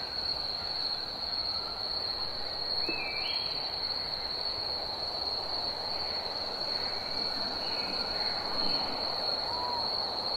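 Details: Cicadas in summer hold a constant piercing whine at one pitch, with scattered brief chirps and rising notes from other birds mixed in.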